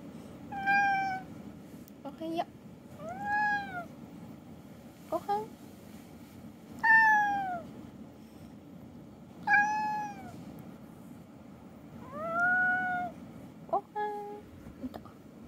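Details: House cat waking its owner one morning, calling repeatedly indoors: a series of drawn-out meows, some rising and some falling, mixed with short chirping mews, roughly every two to three seconds, with faint background hum.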